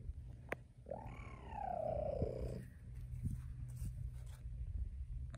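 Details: Mother cheetah with cub vocalizing: a single drawn-out call that starts higher and slides steadily downward over about two seconds, with a low background rumble and a few faint clicks.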